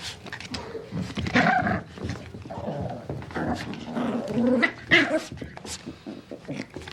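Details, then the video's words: Puppy producing a run of short rough growls and a few sharp yips, irregularly spaced, fairly loud and close. "Baby puppy growls. The sound of a puppy growling"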